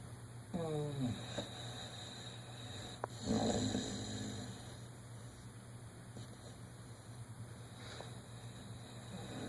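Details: Dreaming in REM sleep, one-year-old dog Dodger makes a brief falling, whimper-like tone, then a raspy snore around the middle, followed by softer breathing and steady background hum.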